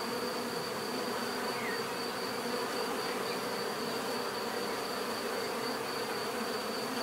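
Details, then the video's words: A steady swarm-like bee hum fills the whole stretch, a low buzzy drone layered with a faint thin whine high above and no breaks. "bees therapy relaxing natural buzzing sound"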